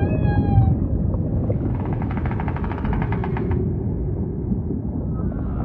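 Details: Humpback whale producing a brief high tone, then a long rattling pulsed buzz that fades into a faint rising whistle, with constant deep ocean rumble underneath.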